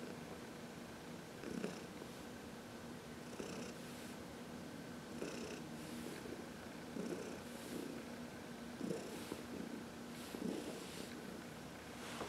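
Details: Senior cat Heidi, adopted from the Humane Society of New York City, purrs while massaged in the sunshine, March 2021: steady rumbling purr in rhythmic breath cycles about every 1.7 seconds, roughly 34 per minute.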